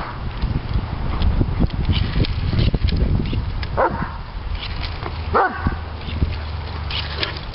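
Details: Bubble-crazed male Doberman Pinscher Diesel, three years old, gives two separate squeaky yelps a little over a second apart, partly buried in loud low rumbling, thuds and scuffling.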